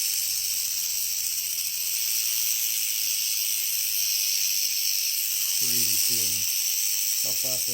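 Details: Rattlesnake held safely in a tube and rattling up close: a steady, fast, high-pitched hissing buzz running unbroken from start to finish, with a man's voice breaking in briefly near the end.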